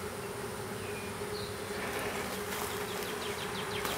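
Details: Small honey bee swarm being hived in a privet hedge thicket in south Alabama on 12 April 2014; a dense, steady buzzing drone with a faint hum and a few soft bird chirps in the background.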